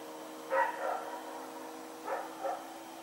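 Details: Rex the dog barking while running around at night, recorded on 21 September 2018: one loud bark with a softer follow-up, a pause, then a double bark near the end, over a faint steady hum.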